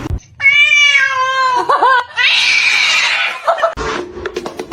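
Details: Cat in a funny-cat compilation lets out a long, loud, clear meow that dips at the end, then a rough, breathy hiss-like burst; music plays underneath.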